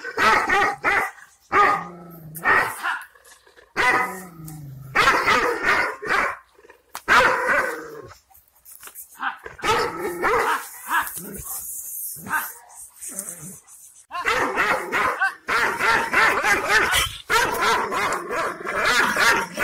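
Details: Kangal Shepherd Dogs (Aksaray Malaklı type) bark angrily in deep, heavy bursts with growls between, reacting to unfamiliar strangers they had never seen and guarding their owner's property and livestock.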